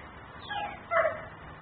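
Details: Outdoor dog in Mecklenburg, recorded by camera while left outside barking: a faint rising sound, then one short, loud, harsh bark against a low hum.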